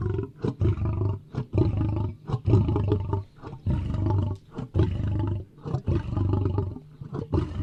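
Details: Lion. A lion roars and growls in heavy, throaty bursts of low sound, coming close together with brief gaps between them. The deep rumble dominates throughout, with no other clear sounds.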